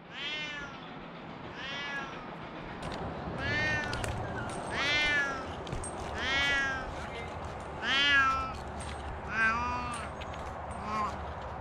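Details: Rescued cats meowing in a run of about eight drawn-out, rising-then-falling meows spaced roughly a second or two apart, some louder than others, over a steady low background hum.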